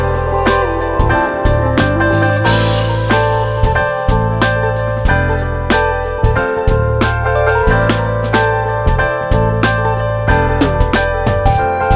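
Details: Steady plucked and keyboard music with a regular beat plays throughout, and no animal voice can be heard.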